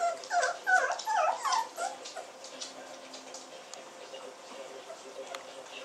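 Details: Samoyed puppies born 20 June 2009, giving a quick run of high whimpering yips in the first two seconds, then fading to quiet background hiss with faint clicks.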